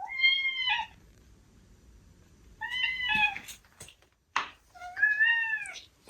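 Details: Ragdoll cat, a young male kept indoors, meowing at its owner: three clear tonal meows, each a slightly rising then falling harmonic cry under a second long, spaced a couple of seconds apart, with a brief click and quiet room noise between.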